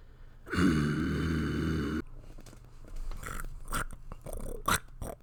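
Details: Puppy gives a short, low, throaty growl of about one and a half seconds, followed by soft clicks, snuffles and chewing-like noises.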